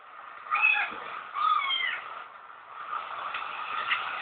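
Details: Kitten giving two short, high meows, the second bending upward then down, followed by a quieter stretch with faint background noise.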